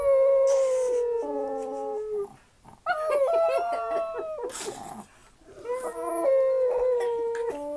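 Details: Chihuahua, apparently Papi Chulo, howling like a wolf: loud, clear, drawn-out wavering tones, stepping up and down in pitch, in three long bouts separated by brief pauses, with short yips between.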